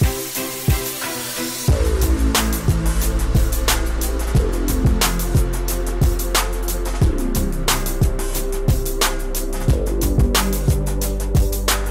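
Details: Steady music with a deep bass line and regular percussive hits throughout, with no animal sound to be heard.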